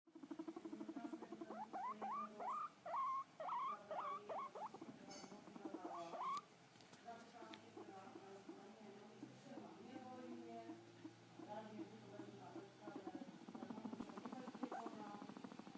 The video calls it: Abyssinian Guinea Pig Sound Effect